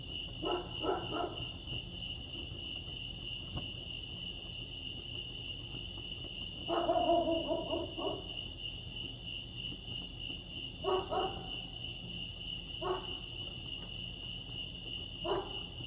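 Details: At Lake Arrowhead, California, crickets hold a constant shrill trill while several short, lower, harmonic bark-like bursts break in at irregular intervals.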